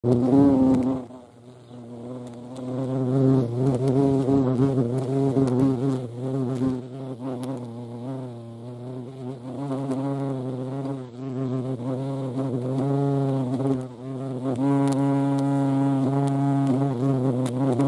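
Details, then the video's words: European hornet (Vespa crabro) buzzing close by: a deep, steady droning hum with rich overtones. It is loud at first, dips briefly after about a second, then continues with a gently wavering pitch and a few faint clicks. "Europäische Hornisse (Vespa crabro)"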